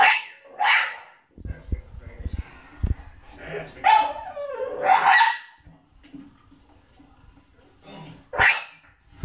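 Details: French Bulldog crying while watching the movie Beethoven on TV: short whiny, wavering bursts and a longer quavering whimper, mixed with film soundtrack, thumps and voices from the television.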